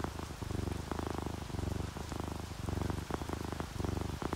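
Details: A relaxed pet cat, one of a ginger tabby and a calico dozing to rain, gives a deep pulsing purr in regular breath-paced bursts, with audible raindrops tapping and dripping throughout.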